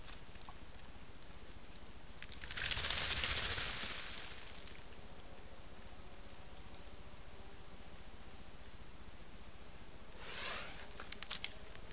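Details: Steady outdoor background hiss with two brief rushing bursts, like wind or rustling, and no animal calls. No clear animal voice stands out anywhere in the recording.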